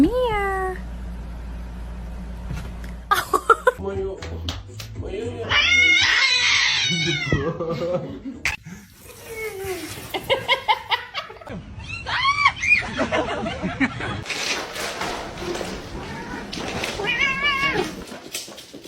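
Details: Crying kitten with repeated high meows, some short and clipped, others long and wavering, scattered throughout amid people talking and background noise.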